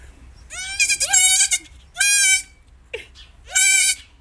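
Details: Three baby goats in the United States bleat while a woman lifts and poses them; loud, harmonic, wavering bleats about half a second long, coming in three bursts with short gaps between them.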